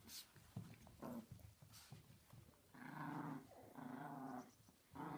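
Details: Several pet Chihuahuas playing indoors give drawn-out, tonal growling notes of about half a second to a second each, three in a row in the second half, after scattered scuffling and short noisy bursts at the start.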